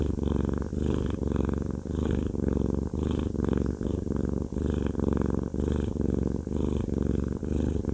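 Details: Haku, a fluffy male pet cat described as a cuddle lover, purrs while having a massage indoors: a deep, steady, rumbling purr that pulses in regular breathing cycles, roughly one and a half per second, with no other sounds.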